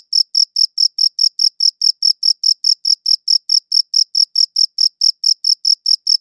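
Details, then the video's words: Steady cricket chirps, high and clear, pulsing about four to five times per second without pause across the stretch; a faint higher overtone accompanies each note and nothing else intrudes. "Cricket Chirping Sounds"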